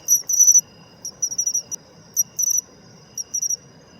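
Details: Matsumushi pine cricket giving its autumn chin-chiro-rin song: brief glassy high-pitched trills of three to five pulses, about three bursts in a few seconds, above a faint constant insect tone.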